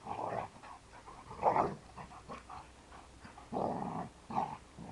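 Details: A two-year-old male Kuvasz and a seven-year-old female Labrador trade rough growls and short barks in bursts during their daily play fight.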